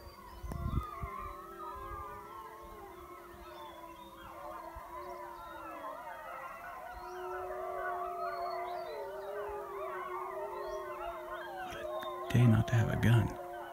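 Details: Chorus of a wild wolf pack howling back from a hillside near a den with pups at a high mountain lake after a hunter's howls: many overlapping, wavering howls held for over ten seconds, with a clatter near the end.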